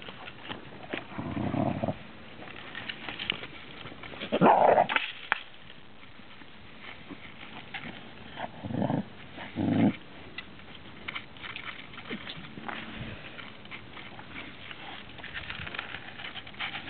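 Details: Mastiff puppies in a bluffing play fight, one growling while another pushes its jowls in closer; short low growling bursts around one to two seconds and nine to ten seconds, with rustling and scuffling between.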